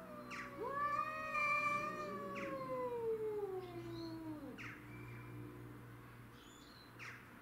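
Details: Two domestic shorthairs, Tom and Mimi, face a grey and white neighbourhood stray over territory; sustained harmonic yowls slide downward over several seconds, punctuated by sharp clicks and thumps, fading quieter toward the end.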